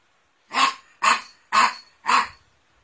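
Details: Four evenly spaced barks from Dandy the poodle, about one every half second, each loud and sharp with a brief trailing tail, in a quiet indoor setting.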